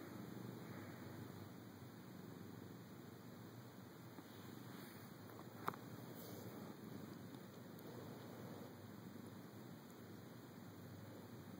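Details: A pet cat named Felix, roused from a mid-morning nap in a dark bedroom while having his eyes rubbed. He purrs in a quiet, continuous low rumble, broken only by one sharp tap midway.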